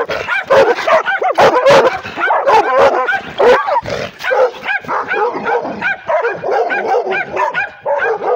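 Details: Female pit bull and Redbone Coonhound mix barking aggressively at the camera held toward her: rapid, harsh, yelping barks with rising-falling tones, packed almost continuously at about one per second, some drawn into short whining howls.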